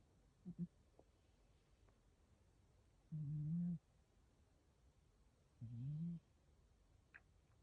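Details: A sleeping cat named Pantaro snores softly, with two low buzzing breaths about two and a half seconds apart and faint small clicks in a quiet room.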